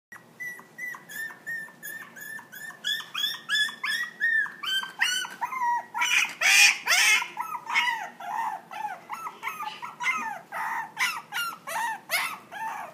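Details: Maltese × Toy Poodle cross dog giving rapid, high-pitched whining yelps, more than two per second, some with a falling pitch, rising into a louder, harsher burst midway before easing back, indoors.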